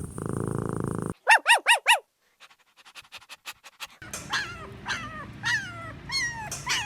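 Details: Small-breed puppies (Pomeranian, Chihuahua, Maltipoo, Poodle, Bichon Frisé) playing: a quick run of four high, squeaky yips rising and falling, a pause with faint ticks, then a string of thin whining squeals over a low background hum.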